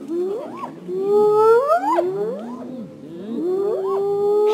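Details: Wild spotted hyena in Africa calling the rest of its clan: overlapping rising, hooting whoops, each sliding upward and breaking off, several in quick succession with layered voices.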